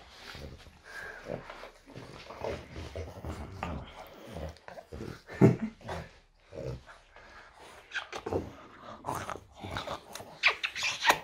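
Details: French Bulldog Loki's morning routine: a steady stream of throaty grumbles and low growly moans, rising into louder, harsher bursts toward the end, in a small indoor room.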